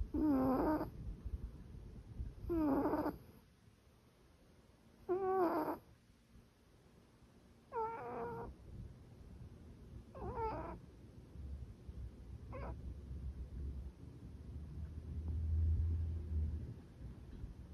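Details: Sleeping house cat, labelled as snoring: five drawn-out, wavering nasal sounds, each about a second long and spaced roughly two to three seconds apart, then a brief faint one and a low rumbling stretch near the end.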